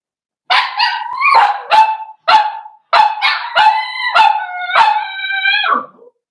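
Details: Blenheim Cavalier King Charles Spaniel puppies, a litter of five born on New Year's to Paris and Spike, in an indoor puppy pen at home. They give a run of loud, clear howling whines, some bending upward, then a final one sliding down.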